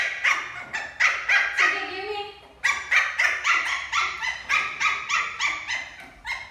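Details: A playful male Lhasa Apso puppy, playing a ball game, yaps in rapid runs of three or four sharp, high-pitched barks, with a brief whimper or soft whine between bursts before the excited barking resumes.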